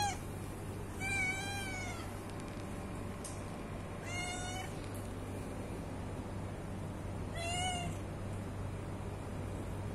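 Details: Hungry domestic cat giving three separate meows spaced a few seconds apart, each a short harmonic call with a slight rise and fall, over a constant low electrical hum.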